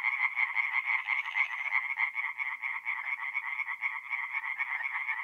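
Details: Singing tree frogs at a forest pond on an April night in north-east Italy. Rapid rattling croaks from several frogs overlap into a steady, pulsing chorus that continues to the end.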